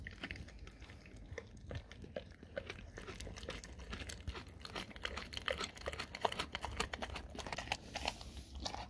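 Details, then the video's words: Raw cow tongue being chewed by a dog, with crisp crackling bites that grow denser and louder toward the end, indoors. "dog eat raw Cow tongue"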